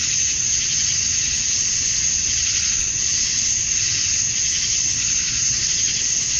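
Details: At dusk on a Georgia summer night, male cicadas sing to attract females, a continuous hissing, high buzz with soft swells roughly every second or two.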